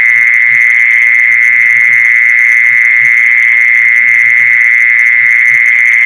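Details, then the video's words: Mole cricket sound used as a lure to attract mole crickets: a loud, perfectly steady, unbroken high trill that holds one pitch throughout, with faint low thumps underneath. "เสียงแมงจีซอน #ล่อแมงจีซอน"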